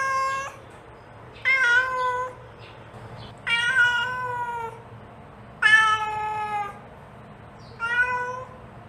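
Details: Domestic mother cat calling to her kitten, giving long drawn-out harmonic meows roughly every two seconds, some wavering and slightly rising before falling, with a soft short mew in between and little else heard.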